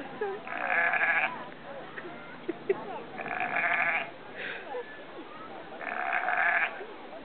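A sheep gives three harsh, wavering bleats, each about a second long.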